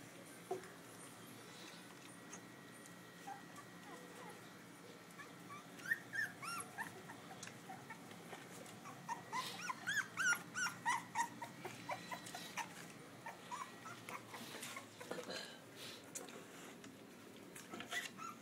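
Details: Newborn Pitbull cross and Belgian Malinois puppies from a litter of eight, filmed on a phone; faint high whimpers and squeaks come in short bursts, most densely in the middle, over low room noise.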